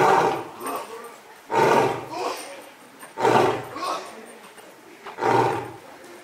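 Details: A male zoo lion, born July 2017, recorded in October 2020, roars from his belly, a series of deep, forceful roaring grunts each about one and a half seconds apart.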